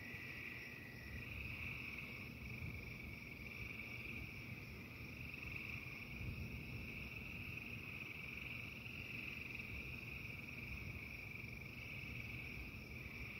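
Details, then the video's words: Frogs calling through a thunderstorm in an unbroken, steady trilling chorus at one pitch for the whole stretch, with a dense bed of low rumbling storm noise beneath it. "The frogs singing to the angry sky."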